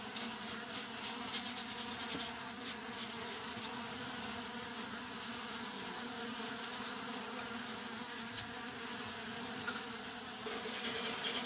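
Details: Honey bee swarm settled for ten days in a Japanese-style frameless hive without foundation, checked on 10 June 2024; dense, steady buzzing hum with occasional clicks and brief bursts.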